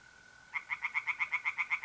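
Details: Tree frog singing in a pond on a mid-April night in north-east Italy: after a steady high mole cricket trill, a loud run of rapid, evenly pulsed croaks starts, about seven pulses per second, continuing over the unbroken cricket tone.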